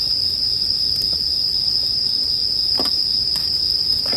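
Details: Bell cricket singing as a steady, unbroken high-pitched ringing tone, mixed with a crackling campfire that gives a few sharp pops near the end.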